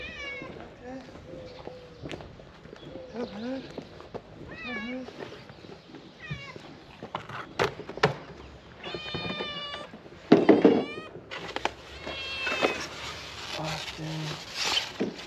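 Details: Homeless street cats gathering for food outdoors give a run of short, wavering meows, several overlapping, then longer, louder pleading meows, mixed with a man talking and a few sharp knocks and rustles.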